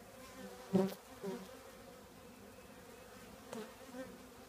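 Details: Honey bee colony in an old trash can: a soft steady drone, interrupted by a sudden loud close buzz of a passing bee near the start and a fainter one later.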